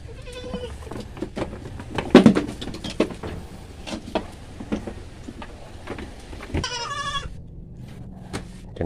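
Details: Farm goat during vitamin B complex injections, with one short, clear, harmonic bleat near the end among clicks, handling noises and scattered knocks.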